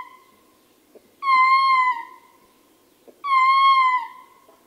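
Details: Close-up male ring-tailed lemur giving two drawn-out howls, each a rich harmonic tone that sags slightly in pitch at its end, spaced about two seconds apart, with faint grunts from other troop members in the gaps.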